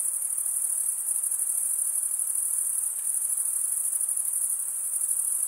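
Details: Male crickets stridulating with their wings make a continuous high, ringing chorus, the fast pulsing steady in pitch and volume from start to end.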